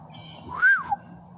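An English bulldog gives a single short whine that rises and then falls away.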